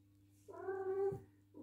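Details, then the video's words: British Shorthair cat in heat calling: one drawn-out, nasal, level meow lasting under a second, followed by a soft short sound, over a low steady hum. "British Shorthair Cat | Fluffy In Call"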